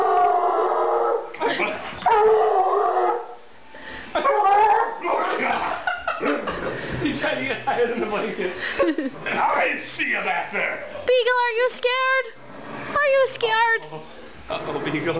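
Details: Pet male Bluetick Coonhound being teased with a blanket, which he hates, especially over his head. Lively talk and laughter come first, then two short wavering howls in quick succession near the end.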